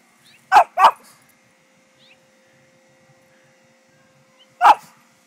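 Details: Bandit, a four-year-old male Pekingese freshly shaved for summer, gives two quick sharp barks, then after a four-second pause a single bark, in a quiet indoor room.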